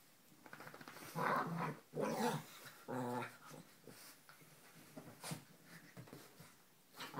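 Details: Pet Lhasa Apso and Italian Greyhound playing a game; several loud rasping growls around the first three seconds, then softer grumbling, thumps and a sharp click from the rough-and-tumble.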